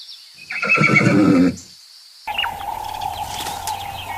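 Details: Horse in nature giving a loud, quavering neigh of about one second, rich in harmonics and shaking in pitch, then cut off; a steady mid-pitched hum with scattered noise follows after a short pause.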